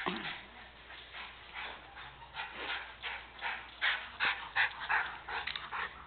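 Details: Margie and Opie, two dogs playing fetch, give short whimpering yips and huffs repeated about three times a second, louder toward the end, with a brief human voice between rounds.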